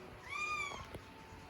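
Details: Scottish Fold kitten, young and indoors, stuck on top of a curtain rail and unable to get down, gives a single clear tonal meow that rises then falls over about half a second, with soft background music.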